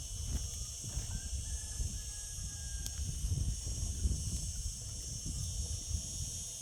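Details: Cicadas singing in summer drone in a steady, high, hissing buzz that never pauses, over a low rumbling background.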